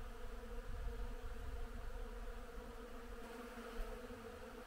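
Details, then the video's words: Springtime bees on flowering willow, heard as an unbroken, evenly pitched droning hum beneath soft low rustle. "Цветёт верба и как работают пчёлы. Звук впечатляет."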